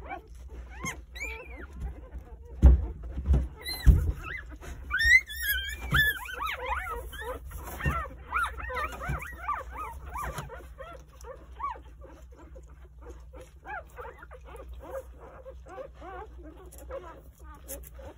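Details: Three-day-old Jindo puppies, nine in the litter, huddled with their nursing mother Sarang at home; rapid overlapping high squeals and whines crowd the first ten seconds, then fade to softer sporadic squeaks.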